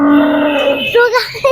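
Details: Cow newly brought home for the Qurbani sacrifice in 2025 gives a single drawn-out moo, steady then falling in pitch, followed by a short second note, with people talking close by.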